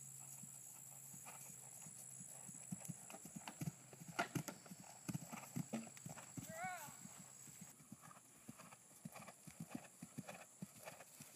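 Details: Percheron mare schooling over a 3'9" fence for the first time. Steady thudding hoofbeats come about twice a second, with a brief wavering human voice near the middle and a constant high hum behind.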